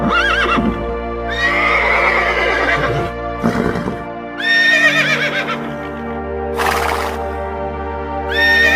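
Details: Horse whinnying in loud, shaky neighs that rise and then fall in quavering steps. Three main calls come about two seconds apart. Clopping and breathy snorts are mixed in, and steady background music plays throughout.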